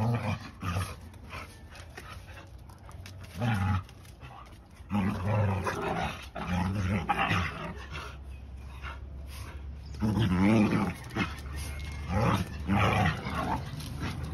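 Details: Puppy giving repeated short, gruff growls and grumbles in uneven bursts a second or two apart, with scuffles and handling noise between them over a constant low hum.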